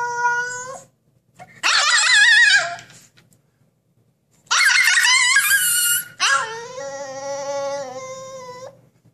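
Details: Siberian Husky kept indoors making a scene, demanding freedom and justice: long drawn-out harmonic howls and wavering yowls in three bursts separated by short silences, the last a steady, falling tone, in a small room.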